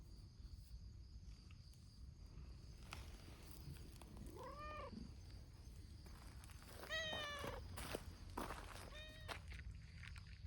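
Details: Noisy outdoor gathering of community cats, many abandoned and now cared for by volunteers, in the team of Hime, a brown-tabby-and-white cat. Arched, rising-then-falling meows sound at intervals, some overlapping, over steady low rumble and clicks.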